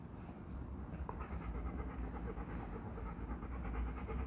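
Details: A 1.5-year-old Golden Retriever named Jaxson, working on heel and place commands at a Georgia obedience training session, breathes in fast, even, breathy pants over a steady low rumble, with a single sharp click partway through.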